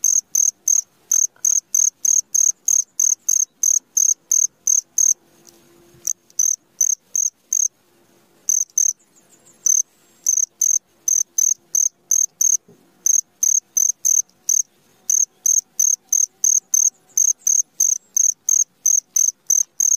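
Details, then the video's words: At midnight, a cricket chirps steadily, with high, ringing pulses repeated several times a second and a few brief pauses. "SUARA JANGKRIK TENGAH MALAM 10 Menit"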